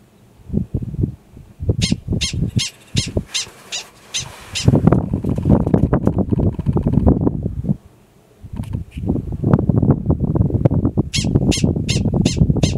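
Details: Yearling male Gunnison's prairie dog alarm calling in grassland at Valles Caldera National Preserve, New Mexico, in April: a rapid burst of about eight sharp, high chirping barks, a windy pause, then another quick run of five, over heavy low wind rumble.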